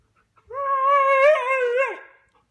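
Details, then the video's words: Siberian Husky 'saying sorry' after biting the couch, indoors: a single sustained, tonal whining howl of about one and a half seconds, gently wavering in pitch and dipping at the end; owner's voice follows. "Talking Husky"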